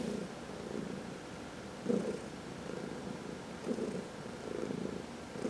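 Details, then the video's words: Domestic cats purring while being massaged, one of four cats including senior shelter adoptees; a steady low rumble with louder swells roughly every second or two, indoors and quiet otherwise. "Four Purring Cats — Cat Massage"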